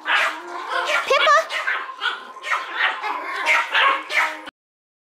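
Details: Tiny teacup Yorkshire Terrier puppies at a Michigan breeder, playing indoors: a run of short, high yips and small barks in quick bursts, with a faint steady hum underneath, ending abruptly.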